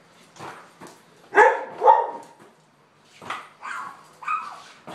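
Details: Border collie dog barking while playing ball in a garage. Two strong, ringing barks come close together, a quiet gap follows, then several softer, shorter barks, with knocks and shuffling throughout.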